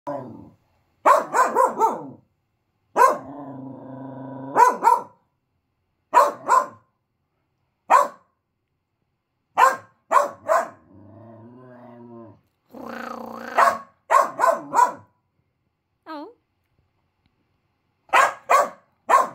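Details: Triton, a five-month-old male Finnish Lapphund puppy, lets out bursts of sharp, mid-pitched barks, often in quick pairs. Between them come drawn-out, low, rumbling grumbles. The bark is not his usual high, excited one.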